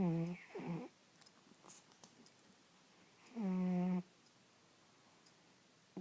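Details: Sleeping cat snoring indoors in a small quiet room: a brief throaty buzzing snore, a rougher one right after, then a longer steady droning snore about three seconds later, with near silence between breaths.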